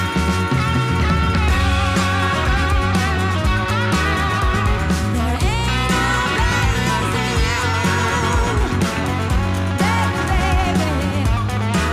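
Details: Loud rock-style guitar music with drums fills the whole stretch, and no animal voice stands out.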